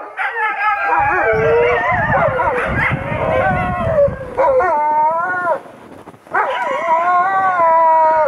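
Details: Several Alaskan Malamutes, the owners' oldest dogs, howl together on a skiing outing, excited and happy: overlapping wavering howls rising and falling, one break of quiet near six seconds, then a fresh chorus of long bending tones.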